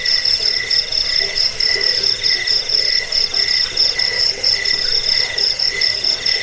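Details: Crickets in full chorus, intended for chasing away rats, lulling to sleep and bird song training; high, buzzy pulsed chirping repeats in quick bursts, the top voice loud and stuttering over layered softer trills.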